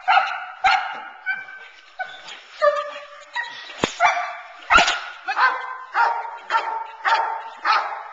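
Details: Protection work with Teal, a 9-month-old Boerboel bitch, kept off the sleeve to build intensity and focus on the man. Loud barks come steadily, roughly two per second, with a couple of sharp cracks.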